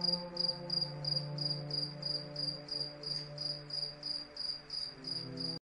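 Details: Crickets chirping at night under moonlight, mixed into relaxing sleep music: high, sharp pulses repeated about three times per second in a steady rhythm, over soft sustained music tones.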